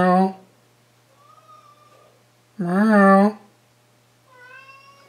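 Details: Pet cat named Jon Stewart, meowing indoors while its owner talks to it: a short opening sound, faint soft tones, then a loud, drawn-out wavering meow near the middle and a quieter tonal meow at the end.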